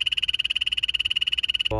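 A poison dart frog gives a fast, steady buzzing trill of high, evenly spaced pulses.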